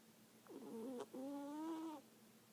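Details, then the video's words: Snoring cat asleep, giving a wavering, tonal breath sound in two parts, a short wobbly rasp followed by a longer, steadier nasal drone lasting about a second, over a low background hum. "Snoring cat"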